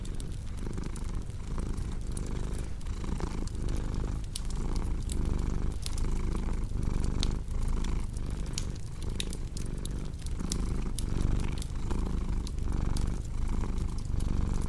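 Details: Long stretch of a cat's soft, throaty purr repeating in regular breathing cycles, layered with the constant crackle and scattered sharp pops of a fireplace.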